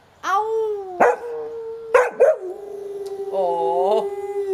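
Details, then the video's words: Female Gordon Setter singing along with her owner during a morning routine; long sustained tonal howls, steady then wavering, broken by a few sharp yelps, with a person's voice joining in. "Ellie, the Singing Gordon Setter"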